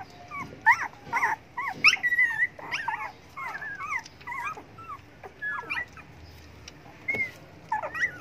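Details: Hungry dogs plead for food with a busy chorus of quick, squeaky whimpers and yips, many short cries tumbling over each other, then a few scattered whines near the end.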